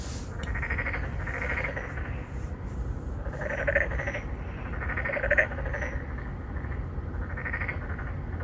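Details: Narrow-mouthed frogs, three to four of them, courting females in a pond within an apartment complex in Songdo, Incheon, recorded on a Galaxy Note9. Bursts of buzzy, pulsed croaking from several overlapping callers recur every second or two, over low-pitched rumble.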